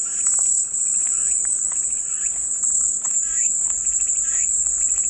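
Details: Continuous shrill cicada buzz, flat and unbroken at very high pitch, over scattered lower chirps and rasping notes that come and go irregularly in the background.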